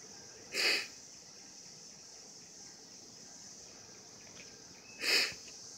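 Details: A 2016 cicada mating chorus forms a continuous high whine, punctuated by two loud, harsh, half-second buzzy bursts near the start and the end of the stretch.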